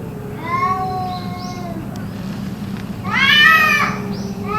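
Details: Yowling cats, perhaps fighting, keeping this up for about two hours; a drawn-out wavering moan followed by a louder arched rising-falling cry and a final rising note, over a steady low hum.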